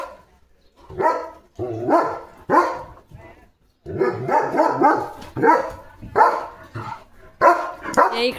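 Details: Leo the German Shepherd, a pet dog, with a puppy nearby, barks repeatedly in rough, throaty bursts, some clustered in quick triplets, with short pauses and a human voice in between.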